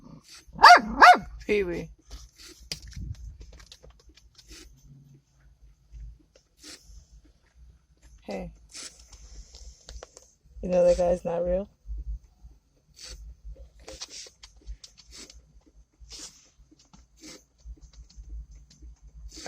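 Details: Small dog barking at a statue around New York: a burst of high barks at the start, then scattered quieter yips and a short growling bark near the middle, over low rumbling background noise.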